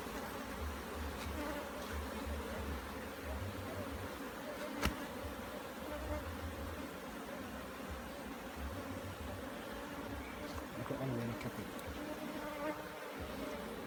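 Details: Bees at a hive being inspected in Jamaica, a continuous low buzzing drone with steady harmonic bands throughout, occasional clicks and handling sounds.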